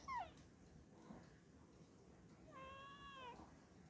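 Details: Black cat Aayla meows twice: a brief falling chirp at the start, then after a pause a longer level meow with rich harmonics that bends downward at the end, against quiet low room noise.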